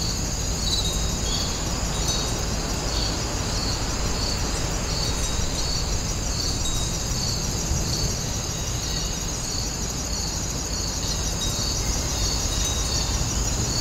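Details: Grass insects calling outdoors at Woninjae, a traditional house site, forming a steady high chorus of rapid pulsed trills repeating through the recording over a constant broad rushing background noise.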